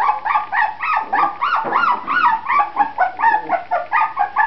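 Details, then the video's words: Grand Basset Griffon Vendéen pups of the Viersenhoeve kennel crying nonstop: bright, arched whimpers and squeals, several pups overlapping, about three cries per second with a faint low hum underneath. "Pups Grand Basset Griffon Vendéen van de Viersenhoeve"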